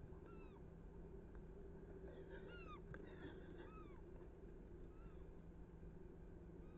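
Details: Roe deer buck and doe in a chase, 7 August 2024: a run of high squeaky calls, each a short arch sliding downward, four or five spaced about a second apart, with a faint steady hum and low rumble behind.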